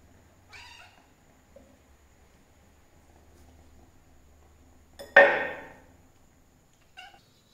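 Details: Hungry cat eating raw fish indoors: a faint short meow early on, then one loud harsh drawn-out meow near five seconds fading away, and a brief soft call at the end, with low hum underneath.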